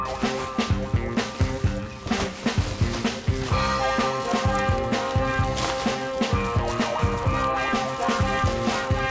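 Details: Upbeat rhythmic music with a steady beat and strong bass plays throughout, with no animal sounds.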